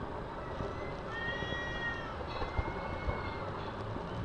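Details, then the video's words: One of two fighting cats in a carpark lets out a long, quavering howl that slides slowly up and down, then a second wavering wail, against dense low engine noise. "Carpark Cat Fight"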